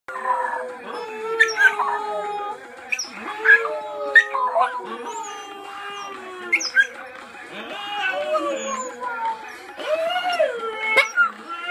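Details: Lily, a pet dog, howling at random: long wavering tonal howls gliding between about 500 and 1000 cycles with rich harmonics, broken into several drawn-out phrases with short pauses, some sharper yelping onsets between them.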